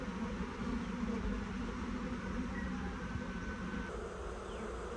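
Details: Honey bee swarm crawling into a new hive, the colony excited and moving down toward the top of the hive; a steady low droning hum with a few faint higher streaks.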